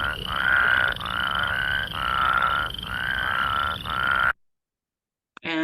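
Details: Plains Spadefoot giving a wavering, whirring call in repeated bursts of about one second each for four seconds, followed by silence and a brief unrelated sound at the end.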